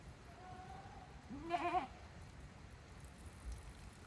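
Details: Goats heading back into their pens by themselves on a handmade Japanese goat farm, 5 December 2023; one short, quiet, bending bleat after a faint tone, otherwise a low murmur of background noise.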